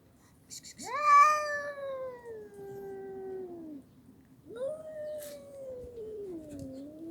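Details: Red cat meowing indoors: a loud, drawn-out wailing meow that rises sharply then slowly falls over three seconds, followed by a second long, gently sliding meow; a few clicks and taps in the background.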